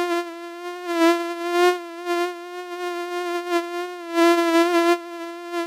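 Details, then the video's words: Flying mosquito producing a continuous nasal whining hum, even in pitch with gentle wobbles, growing louder in brief surges as it passes close, then dropping back to a softer drone. "Komar leci i wydaje odgłosy oraz dźwięki. Odgłosy zwierząt, komar, bzyczenie."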